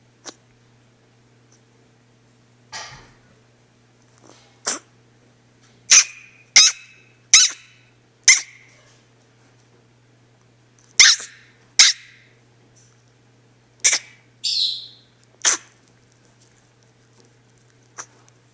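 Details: Female pet dog barking indoors when her owner walks away, sharp high-pitched yips in irregular bursts, about a dozen over eighteen seconds with pauses between, over a steady low electrical hum.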